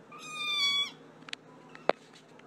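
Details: A pet cat gives one long, steady, level meow lasting almost a second, then falls silent amid a few sharp clicks and taps.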